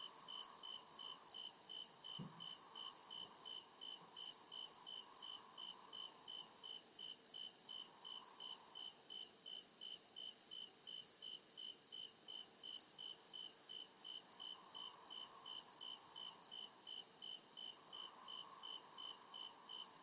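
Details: Crickets chirping at night in the deep woods of a forest: steady high pulsed trills repeating rapidly and evenly throughout, with a softer low hum rising and fading in the background and one brief low thump.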